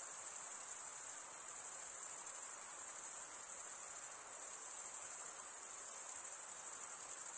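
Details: Stridulating male crickets form a constant high, finely pulsed ringing drone that never stops, gently swelling and easing in volume, above a quiet hissy background.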